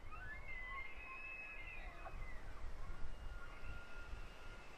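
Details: Elk (Cervus canadensis), bugle.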